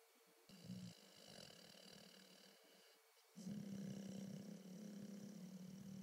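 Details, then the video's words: Napping dog named Mister snores: a softer, breathy rumble for nearly three seconds, then a louder, steady, growly low snore that carries to the end. "Snoring dog..."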